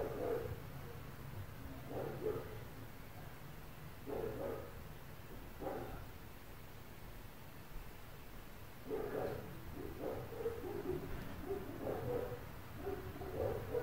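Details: Neighbours' dogs barking at 4 a.m. around an apartment, heard through the walls: muffled, distant barks coming in short bursts of two or three, with quiet gaps of a few seconds between bursts and a low steady indoor hum beneath.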